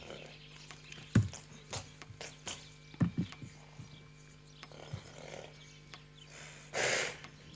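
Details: A horse that is excited on its first time out in the paddock gives a strong, breathy blow through the nostrils, a loud alarm signal.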